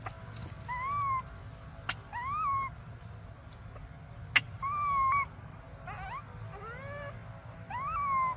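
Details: Desperate infant monkey named Briar begging for milk, giving drawn-out whining cries that swell and sag in pitch, one rising sharply near the end, spaced a second or two apart over a steady low rumble and occasional taps.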